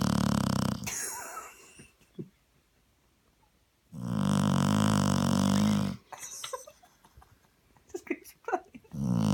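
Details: Sleeping English Springer Spaniel on a sofa after a long walk, snoring: deep, rumbling two-second snores come roughly every four seconds, with faint clicks and small noises in the quiet gaps between them.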